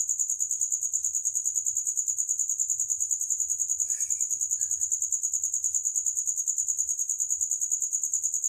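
A cricket gives a steady, high-pitched trill of rapid pulses that never pauses.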